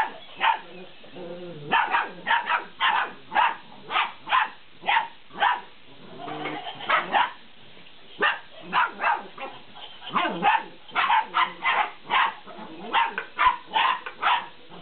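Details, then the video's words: Fifty-day-old Belgian Malinois puppies at play with a laughing cat toy, giving quick clusters of high, clipped yaps in irregular bursts, with a short stretch of softer harmonic sounds around the middle. "Malinois Puppies playing with the Laughing Cat"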